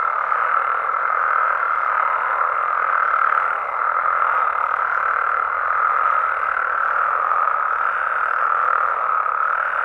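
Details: Frogs and toads calling at night in natural amphibian habitat in Mexico: a dense, unbroken chorus of mid-pitched croaking and trilling calls blending into a steady wall of sound, with a faint thin higher tone running underneath.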